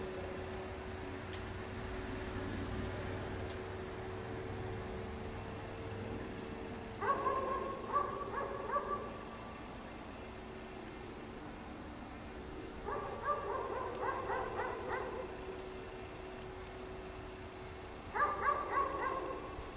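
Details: Chained dog outside in the cold snow, barking all day: three separate bursts of fast, sharp barks, each lasting one to two seconds, with quiet gaps of about five seconds between them over a faint hum.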